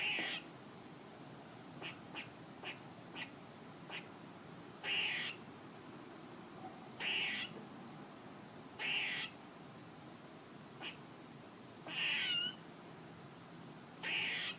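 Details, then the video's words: Squirrel noises: a run of brief clicking chips, then drawn-out hoarse, buzzy calls spaced about two seconds apart, one ending with a falling whine, in quiet surroundings. "A squirrel making noises"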